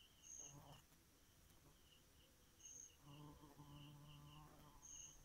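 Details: Bee at night: low droning hum in two bursts, a short one early and a longer one from three seconds, over steady, evenly pulsed high insect chirping throughout.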